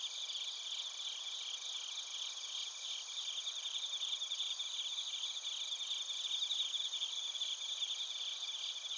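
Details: Massed cricket song from Narita, Chiba, Japan, bell crickets included: high, rapid chirp pulses repeating about three to four times per second in an unbroken ringing wall of sound, swelling slightly louder toward the end.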